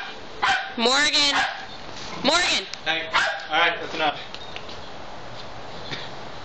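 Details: Dog in a back yard with another dog, giving bursts of high, harmonic yelping barks: a quick double bark, a single bark after a pause, then three shorter barks in close succession before the yard goes quiet.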